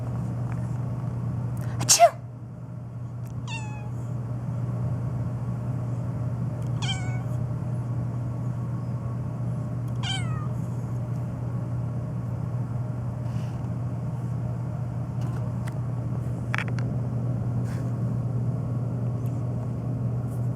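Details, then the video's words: Black house cat Phoebe meowing nonstop, especially in response to sneezing: a sharp noisy burst followed by short, clear meows spaced about three seconds apart, each dropping in pitch, over a constant low electrical hum. "My Black Cat Meowing Nonstop, especially to sneezing"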